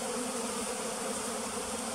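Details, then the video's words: Flooded-forest bee farm on the western side of Tonle Sap Lake, Cambodia, home to a pearl's bee; thick, constant humming drone, evenly loud from start to finish. "Pearl's bee | គុជឃ្មុំ"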